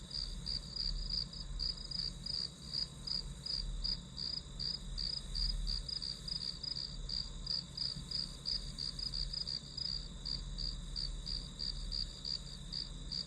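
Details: Insects in the grass chirp rapidly and evenly, roughly three pulses per second, above a steady high-pitched drone and faint low background rumble, used as study white noise.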